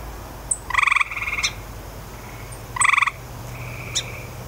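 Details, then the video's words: Grey tree frog giving two loud pulsed trills about two seconds apart, each a quick rattling burst followed by a softer drawn-out tail, with brief high chirps and a low background hum. "Grey Tree Frog"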